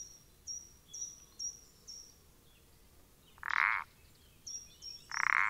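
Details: Common parsley frog (Pelodytes punctatus) recorded 14 April 2020, giving two loud, creaky, mid-pitched croaks near the end, set against a run of short, thin, high whistled notes repeated about twice a second.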